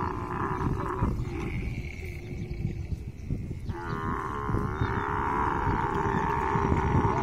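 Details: Camel during mating, giving a low rumbling, gurgling roar that runs throughout, with a drawn-out higher tone in the middle before the sound swells into louder, harmonic-rich gurgling toward the end.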